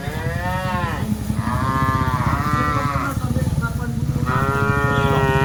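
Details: Cattle being driven in a group of dozens call out in a chain of bending, wavering moos, one after another with barely a pause, above steady low-pitched noise.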